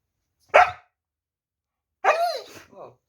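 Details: Puppy giving one sharp bark, then after a pause a longer yelping bark that slides downward in pitch, followed by a short trailing yip; silence between the calls.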